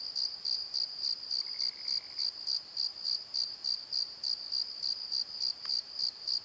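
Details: Crickets after dark in a valley bottom, Pozo night tree; a bright, even chirp pulsing about three times each second, with a short faint trill below and one sharp click late on.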